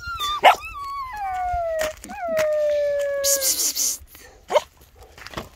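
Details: Young Bernese Mountain Dog puppies, two months old, giving long sliding whines: a falling cry, a pause, then a sustained mournful howl that slowly drops in pitch, with a burst of hissy noise near the end and soft thumps.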